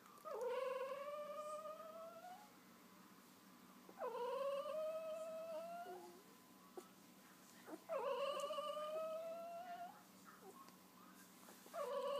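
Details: Two-week-old wolf hybrid puppies that have just opened their eyes, giving long, drawn-out whining cries, each about two seconds, that rise sharply then level off, repeated roughly every four seconds in a quiet indoor setting.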